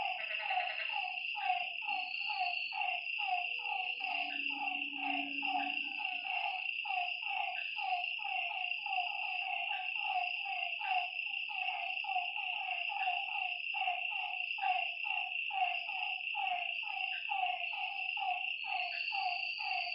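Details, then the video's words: At a lake after dark, many frogs overlap in quick descending calls with a continuous high-pitched buzzing behind them and a brief low hum midway. "Lakeside night creatures and frog sounds"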